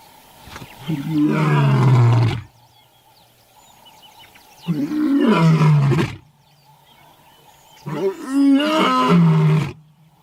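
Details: Lion giving three roars, each deep and harsh and falling in pitch as it goes, spaced roughly every three seconds. The last roar is more broken and wavering, with faint background hiss in the pauses.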